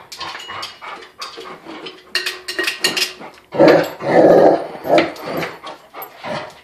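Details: A Rottweiler that hates a floor jack gives deep, gruff barks and growls over metallic clanking and rattling.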